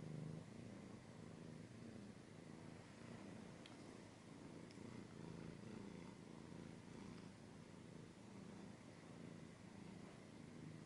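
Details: Close ASMR-style recording of a cat purring: a steady, low, rhythmic rumble rising and falling with each breath, with faint scratching and a couple of soft clicks.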